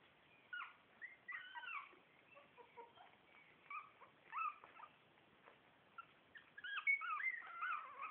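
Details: Four-week-old Shih Tzu puppies of litter A, several squeaky whimpers and short yips scattered irregularly, some overlapping, growing louder and busier in the last two seconds.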